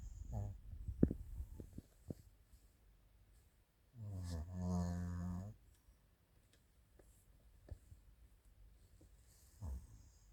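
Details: Sleeping female Maltese-Shih Tzu mix named Chiroru, born July 2017, gives a single deep, rattling snore lasting about a second and a half, set between quiet stretches with scattered faint clicks and shuffling indoors.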